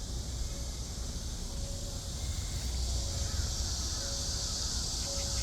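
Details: Cicadas in summer fill the air with a steady, hissing, high-pitched buzz that never lets up.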